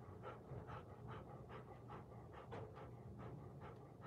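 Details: Rapid rhythmic panting from a Golden Retriever on a surveillance camera: about ten soft, airy huffs in four seconds, evenly paced, with a faint low hum underneath.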